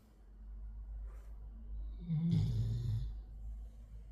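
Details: Black Labrador Retriever asleep indoors after playing hard, giving one low, rumbling snore with a raspy breathy hiss on top, lasting about a second, between quieter breaths in a small, still room.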